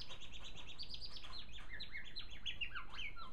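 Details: Caged male African silverbill in full song, a fast run of repeated high chirps giving way to descending slurred notes, steady and continuous, with a constant low household hum underneath.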